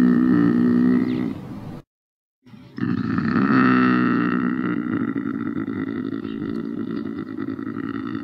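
A lynx gives low, drawn-out moaning yowls, broken by a short pause.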